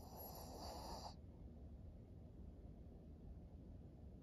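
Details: Maria, a 13-year-old female fawn pug in Japan, recorded in September 2023 as a senior dog; low continuous rumbling snore-like breathing with a brief brighter snort at the start.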